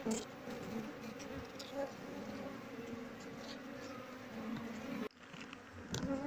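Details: Honey bee colony being moved into a cultivation box after its queen was caught. A steady, dense buzzing hum with low tonal bands runs throughout. Brief handling noises and a short drop in level occur near the end.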